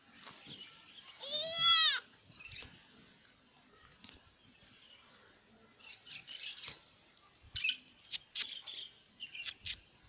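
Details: Newborn goat kid recorded 13/1/2025 gives one loud, clear bleat with an arched, wavering tone lasting under a second, followed by quiet stretches and scattered sharp clicks and knocks near the end.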